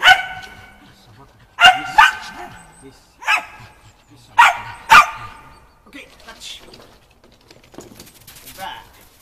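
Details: Shaun the Shetland Sheepdog barks while training running contacts on the dog walk agility obstacle, 11 November 2013; six sharp, bright barks in pairs and singles over the first five seconds, then softer voices and rustling.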